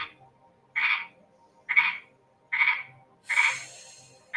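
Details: Frog calling from inside a swamp cooler inside a home, giving short raspy croaks roughly every second, six in total, loud and close, with a faint low hum behind.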